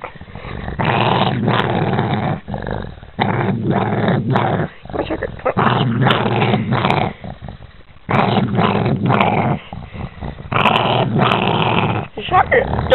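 A Boston Terrier gives long, low, rumbling growls in sustained bursts, showing anger at being touched.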